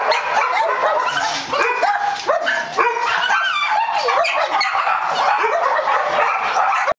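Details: A brown poodle recorded on 5 March 2011, letting out rapid high yelps and whines with curving, wavering pitch, nearly continuous for about seven seconds before cutting off abruptly.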